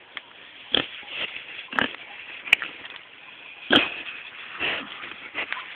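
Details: Repeated pig oinks arriving about once a second, rough and short, with a few sharp clicks between them and a constant hissy background.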